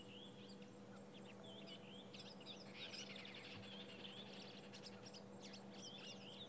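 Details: At sunrise on March 26, 2016, in the Sabi Sand, tree squirrels give furious alarm calls at a brown snake eagle: rapid, sharp clicking and chirping bursts, several a second, over a steady low hum.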